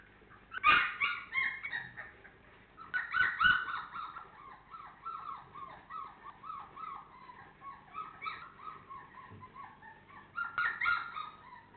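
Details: Honey Hany FCI Labrador Retriever pups, four weeks old, keep up a steady run of short, whiny yips and whimpers, several per second, that rise and fall in pitch, with a few louder yelps at the start and end.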